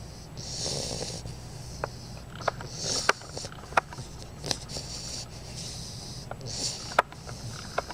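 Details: Female bulldog puppy Einstein sleeping and snoring; breathy, whistling snores in an irregular rhythm, interrupted by small clicks and snorts, with a low indoor hum.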